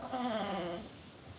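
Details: Tulip the bulldog making a brief warbling, wavering growl like a turkey's gobble, strongest early and fading within a second.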